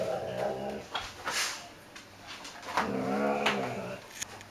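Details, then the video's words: Talos, a Great Dane pup, plays on a couch indoors and rubs his lips on it. He gives two drawn-out, tonal, groaning moans, the second rising and wavering, with rustling and thumps between them. "Talos, Great Dane Pup, Plays on Couch (Loudly!)"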